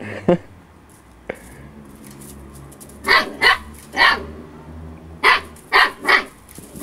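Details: Storm, an over-playful 8-week-old female Husky puppy, lets out short high yapping barks in two quick bursts of three, after a quiet stretch with faint household hum and a couple of soft knocks.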